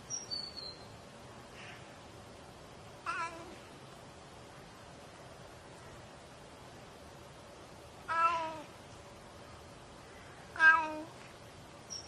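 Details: Oriental Shorthair cat giving a few loud, drawn-out meows with rich harmonic layers, spaced several seconds apart, the last two strongest, with a faint chirp and quiet room hush between calls.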